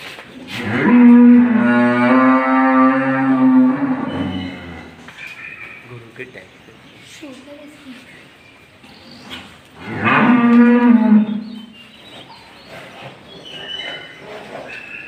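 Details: Friesian dairy cow, suddenly sick with viral fever, gives two long, deep, droning moos. The first lasts about four seconds and the second is shorter, coming after a quiet gap with faint background noises.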